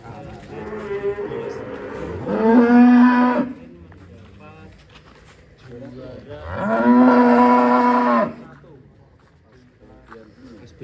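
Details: Giant cattle named Ken Arok Bimasakti, readied for a livestock contest in DKI Jakarta, Indonesia, gives two long, deep, rising-then-steady moos about four seconds apart, each lasting over a second, with low background murmur between.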